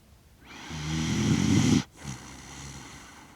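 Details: Kaki-Maru the Shiba Inu, six years one month old, snores while asleep in Rotterdam, Netherlands, 30 September 2025, DJI Mic Mini; a gravelly, low inhaled snore swelling over a second, followed by a softer, quieter breath.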